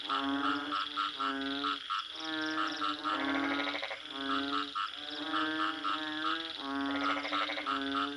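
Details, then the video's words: Several frogs calling together, giving rapid runs of nasal, honking croaks in groups of three or four, with raspy rattling bursts between them and a faint steady hiss in the background. "Bunyi Katak"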